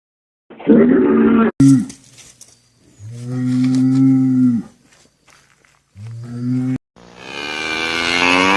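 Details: Cattle mooing in a sequence of cut-together calls. A deep, even, humming low lasts about two seconds, followed by shorter bellows and a final brighter, higher call.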